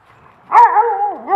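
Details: A dog at play in a pile of raked leaves gives one drawn-out, tonal bark-whine that bends down and rises again at the end, clear and loud with little else audible.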